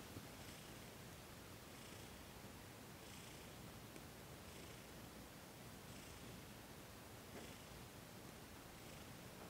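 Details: Low, even purring from Thomas, a cat with sensitive paws, while being massaged in a December 28, 2021 Reiki session. Gentle breath-timed swells recur about every second, with occasional light rustles.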